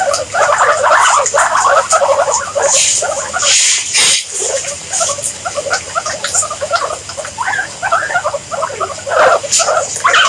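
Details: Guinea pigs producing busy, overlapping squeaky chatter in quick irregular bursts, with a short lull near the middle before the calls resume.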